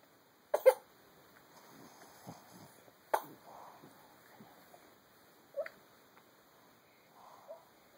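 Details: Boston Terrier snoring indoors: sharp, throaty snorting bursts roughly every two and a half seconds, with soft rasping breaths between them in an otherwise quiet room.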